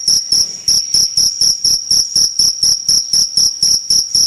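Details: Cricket chirping insistently, with high, ringing pulsed chirps repeated quickly and evenly about four times per second, no other sounds.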